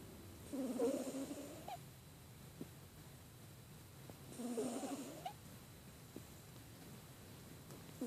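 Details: Snores from Amy, a domestic cat suffering from a cold: two softer, raspy breaths with a faint whistling overtone, several seconds apart, then near silence apart from small clicks.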